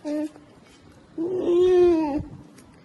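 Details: A curious polar bear cub investigating a camera sounds indignant, giving a brief nasal note, then a longer, wavering, almost human-sounding moan.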